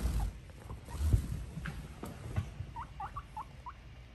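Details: Guinea pig popping in to say hi, giving a quick run of five short, squeaky, upward-flicking notes in the last second and a half, after low rumbling and handling noises.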